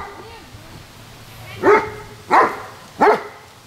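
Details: German Shepherd dog barking three times in short, harsh bursts about two-thirds of a second apart after a quiet start with faint voices; each bark is loud and rough with a falling tail.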